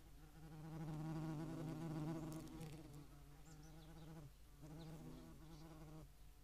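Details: Flight noise of European hornets visiting a feeding site alongside median wasps, Dohr in the Eifel, Germany, 11 July 2022: a sustained deep droning buzz, loudest early, wavering in pitch, with a brief dip near four seconds.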